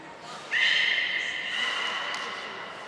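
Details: A beluga in training at Port of Nagoya Public Aquarium (group of Hodoi, Gray, Nana and Nico, June 5, 2021) gives one steady, reedy whistle with rich overtones, starting abruptly and fading slowly over two seconds.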